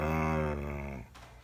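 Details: Daisy, a rescued dog, 'lectures' her owner in a long, low, harmonic groaning grumble that slowly drops in pitch and fades after about one second, recorded indoors in a small room.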